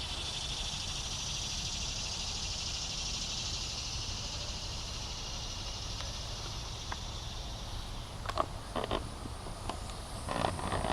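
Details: Several cicada species (Neotibicen tibicen, possibly subspecies australis; Neotibicen similaris; Neocicada hieroglyphica, possibly johannis) give a steady, high, hissing buzz without a break over low rumbling, Bonaventure Cemetery, Savannah, Georgia, July 5, 2010, morning 9:08–10:20 AM.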